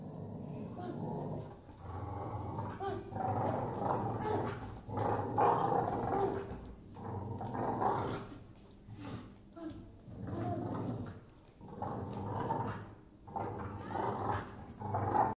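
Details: An aggressive American Bully dog growling in low, rough, rumbling bursts that swell and fade repeatedly over about fifteen seconds, with brief gaps between bursts and some human voices in the background.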